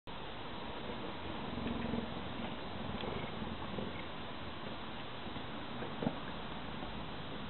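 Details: A pet cheetah kept at home purring: a low, steady rumbling throb that runs continuously through the recording, with a faint room hum and one brief knock near the end.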